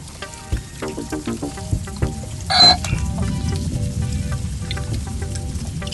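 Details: West Indian manatee (Trichechus manatus), squeaks and chirps: communicating with each other underwater.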